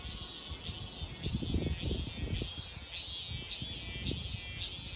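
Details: Cicadas sing at Kozoji Temple (Takakura Kannon) in Kisarazu, Chiba prefecture, Japan, in shrill rising-and-falling pulses repeated nearly twice a second over a steady buzz, with low footsteps and rustling beneath.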